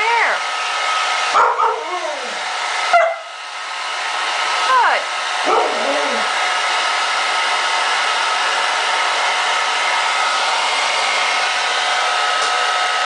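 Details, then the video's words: Puppies meeting a hair dryer. Over the first six seconds come several short whimpering yelps that slide downward in pitch. After that only the steady, loud rushing hiss of the hair dryer runs to the end. "Puppy meets hair dryer"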